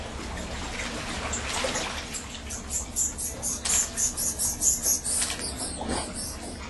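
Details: Fishing bats, greater bulldog bats, at their cave roost offshore Trinidad in the West Indies, give a run of about ten quick, piercing high chirps in a regular series, set against constant low rushing noise.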